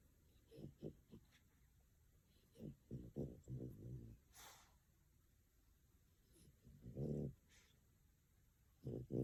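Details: Female French Bulldog napping indoors in Tokyo, twitching paws in sleep; irregular short snuffling snores and breathy snorts in small clusters, with quiet gaps between bursts.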